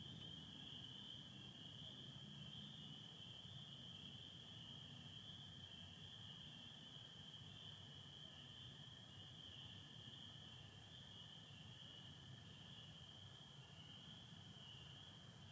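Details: Nighttime chorus of spring peepers in Michigan, 24 April 2025, partly overcast sky: unbroken shrill wall of high peeps holding steady throughout, a lower sustained trill of American toads running underneath, plus low-frequency background noise.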